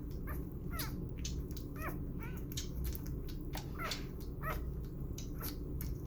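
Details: Burro, a six-day-old puppy bottle feeding and being burped, lets out thin bent squeaks every half second or so, mixed with wet sucking clicks over a low steady hum.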